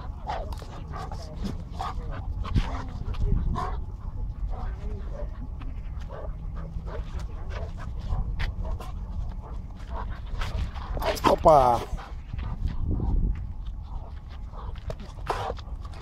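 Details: Two dogs playing together, a seven-month-old Bull Terrier and a three-year-old Cane Corso. Scuffling and snuffling with scattered short dog noises, then one loud, high, falling whine-like yelp midway, over a steady low rumble and occasional human voice.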